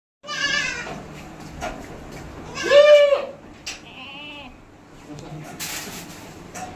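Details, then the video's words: Hybrid goats on a goat farm in West Bengal bleating: wavering, harmonic-rich bleats at the start and a loud one near three seconds, plus a higher tremulous call, amid background voices and farm noise. "Goat farm ছাগলের ফার্ম হাইব্রিড ছাগল"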